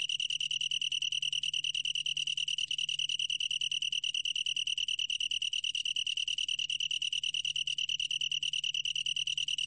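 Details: From the National Institute of Biological Resources, 2020: a long-tailed tree cricket's sustained high-pitched trill, finely pulsed and unwavering in pitch, continuing throughout over a quiet low hum.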